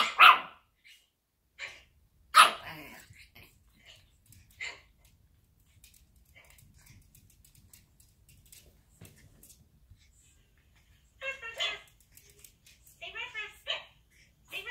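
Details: A 10-week-old Pekingese puppy boxing its mirror reflection gives sharp, high barks with quiet gaps, then irregular clusters of squeaky, wavering yaps and whiny yelps.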